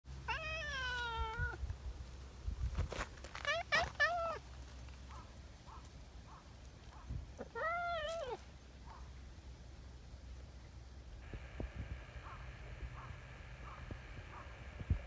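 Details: Tabby community cat meowing after eagerly seeking affection: three clear meows that rise and then fall, at the start, around four seconds and near eight seconds, with faint ticking and clicking in between.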